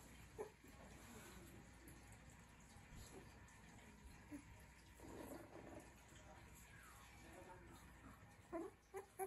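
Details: Three-week-old Rottweiler puppies make short, thin, squeaky whimpers in scattered single notes, then a quick run of three or four squeaks near the end, over a soft, steady background hiss.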